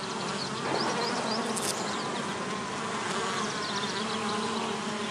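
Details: Dense droning hum of bees at a bee hotel, rough and unbroken for the full five seconds, with thin high chirping notes appearing faintly in the background.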